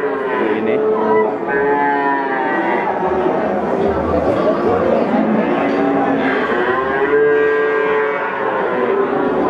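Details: Young male Peranakan Ongole cattle at Pasar Pon market, Ambarawa, Central Java: drawn-out lowing calls rise and fall in overlapping waves, with a brief lull near the second mark and constant crowd murmur beneath.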